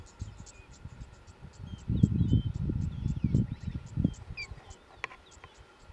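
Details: Wild cheetahs in Kenya's Olare Motorogi Conservancy, a mother, her three cubs and a young male newcomer: a two-second run of deep throbbing pulses in the middle, quieter before and after, with faint bird chirps above.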